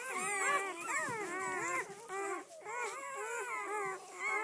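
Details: Newborn-litter Doberman Pinscher puppies, red-rust, seven females and four males born 7-12-10, first day out: many overlapping thin whining cries rising and falling, nearly continuous, almost two calls a second.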